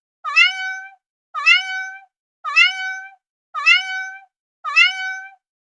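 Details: Domestic cat repeating a near-identical meow five times at an even pace of about once a second. Each meow has a quick rising start and a sustained, clear, harmonic tone, with silence between.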